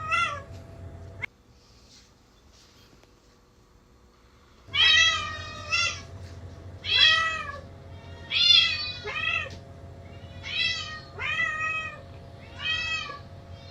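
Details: Domestic house cats indoors, two cats reacting to recordings of their own meows by searching and calling anxiously; after a silent gap, a run of loud harmonic meows, rising then falling, repeated about every second or so, with a steady hum behind.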